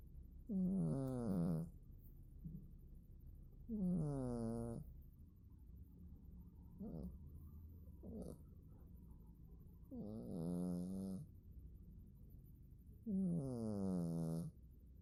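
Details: Domestic cat asleep, snoring indoors: five long, low, rough snores roughly every three seconds, each about a second long, with a couple of shorter, fainter breaths between them in a quiet room.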